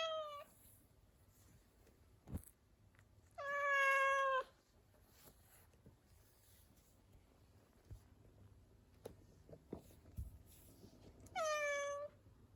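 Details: Pet cat indoors, a rescued house cat, giving three clear harmonic meows spaced across the stretch, the middle one longest and level, the last rising then falling, with quiet room noise and faint taps between calls.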